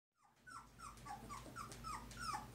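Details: Two-week-old Poodle puppies from Tigre's litter of five brindles and parti-colors, giving a quick series of high, thin whines, each sliding downward, repeated roughly every half second with no pause.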